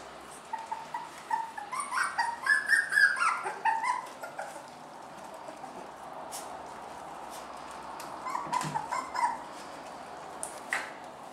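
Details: Family of dogs, Toddy and Bella with their puppies: high, thin whining yelps in bursts, rising and falling, clustered in the first four seconds and again near nine seconds, with scattered clicks in the background.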